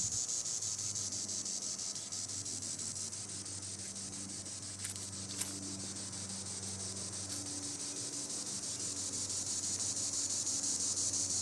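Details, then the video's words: Tibicen linnei, the green annual cicada, calling from treetops; a sustained shrill buzz that fades and swells slowly, a couple of brief clicks midway, low hum underneath. "Green Annual Cicada tibicen linnei (Cicadidae) sounds recording in the treetops"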